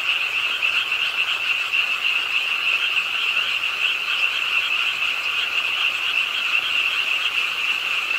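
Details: Pond-side frogs in a Suwon urban park, Ingye Art Park, start croaking with the rain late at night, rapid rattling croaks blending into one steady, high, buzzing chorus amid rainfall.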